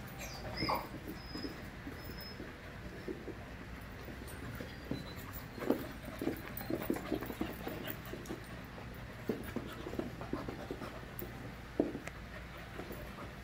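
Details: Group of five-month-old puppies at play, a high squeaky yelp near the start, then scattered short growls, grunts and scuffles through the middle, with a steady low hum behind.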